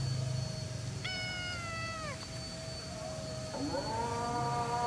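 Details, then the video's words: Feral black cat being fed, giving a drawn-out meow with a flat, slightly falling tone, then a shorter rising-falling meow near the end; a steady high-pitched hum runs underneath. "I tried feeding a Feral Black Cat"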